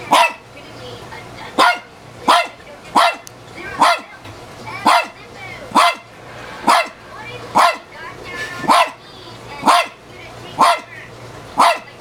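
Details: Indoor dog, a female about 15 years old, barks repeatedly at her reflection in a mirror: a long run of about a dozen abrupt barks, roughly one per second, fairly steady, over a low background hum.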